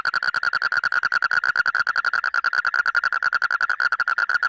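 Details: Rapid, ratcheting frog call: sharp pulses repeated many times a second in a continuous, slightly uneven series, each with a clear mid-pitched ring over a quiet background.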